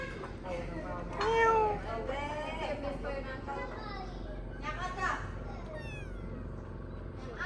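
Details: Abandoned baby kitten being fed its first safe meal gives one clear rising-falling meow, with steady background hum and human voices throughout.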